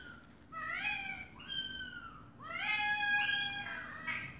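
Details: A mother cat gives a run of clear, drawn-out meows, some bending upward and others sliding down, talking to her meowing kittens.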